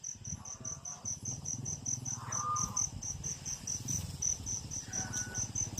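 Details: Crickets chirp at night in the Batangas countryside, a steady high pulsed trill repeating several times a second throughout, with faint low rumble and a brief tonal note from another animal.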